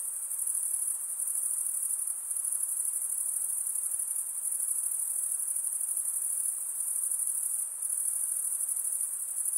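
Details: Insects at night producing an even, ringing high-pitched trill that continues unbroken, dipping slightly in strength near the end, over a quiet low hiss.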